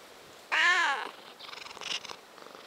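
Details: One of three house cats (tuxedo Haneul, orange Jadu, mackerel tabby Gureum) spending a cozy weekday afternoon indoors gives a single short, harmonic meow that rises slightly then falls, followed by faint higher rustling and clicks.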